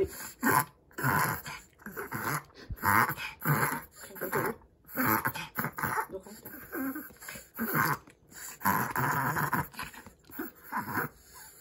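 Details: Kai, a pet Chihuahua, so overexcited and happy that he struggles to breathe: rapid, harsh, rhythmic breathing bursts about every half second, with short pauses, indoors.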